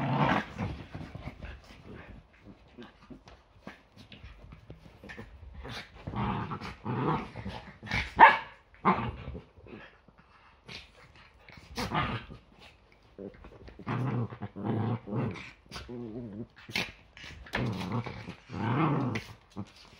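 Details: Yorkshire Terriers in a morning play fight before breakfast, a regular Sunday habit; scattered sharp barks and throaty growls arrive in irregular bursts separated by quiet gaps, one loud bark near the middle.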